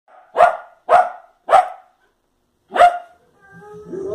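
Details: Fox Terrier barking at the television indoors: four sharp, loud barks, three in quick succession about half a second apart, then a fourth after a pause, followed by softer tonal background sounds.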